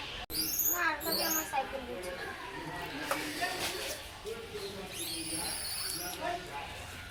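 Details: Baby langur monkey calling: a run of short, squeaky harmonic cries at the start, then quieter low notes and another burst of high rising squeals near the fifth second, over steady outdoor background noise.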